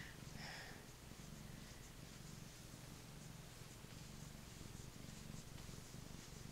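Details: Gentle male Maine Coon lap cat purring while being petted indoors, a low buzzing rumble throughout with light background rustle.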